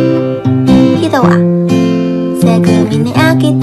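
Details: Strummed acoustic guitar music plays loudly throughout, with a voice in the mix and no animal sound.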